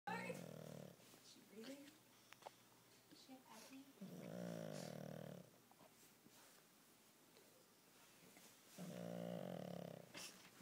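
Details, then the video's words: Sleeping pug snoring indoors: three long, loud rasping snores about every four seconds, each lasting over a second, with quieter snuffling breaths and faint sounds between them. "Pug Snoring"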